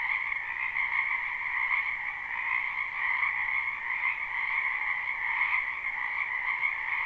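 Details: Chorus of numerous frogs in a springtime wetland, recorded live without looping: constant overlapping trilled croaks merging into an even, buzzy wall of sound with faint waves of intensity, nothing else audible.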